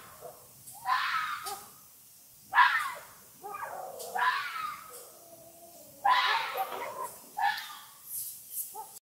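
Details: Fox calling at night, howling and barking: a string of hoarse, harsh screaming bursts, roughly six in nine seconds at uneven intervals, each rising then dropping, with short gaps of near silence between them.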